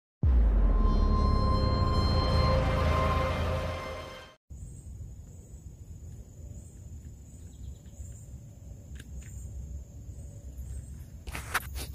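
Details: Loud music plays for about four seconds, cuts off, and gives way to quiet outdoor background noise with faint high tones and a few clicks, with no animal sounds.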